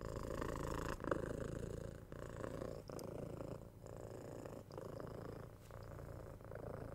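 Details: Purring from six-month-old kitten Tora during head scratches and soft kisses, 3Dio binaural mic. A low buzzing purr runs in breath-long cycles under light clicks and rustling from the petting.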